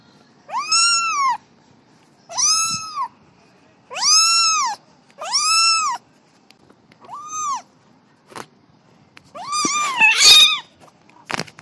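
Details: Little cat playing, giving a steady run of clear high meows, each arched and lasting under a second, about every one and a half seconds, ending with a noisier burst of overlapping calls and clicks.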